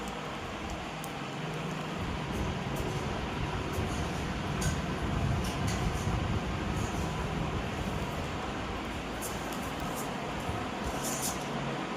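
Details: Steady broadband vehicle rumble fills the recording, with scattered faint high clicks and no animal voice.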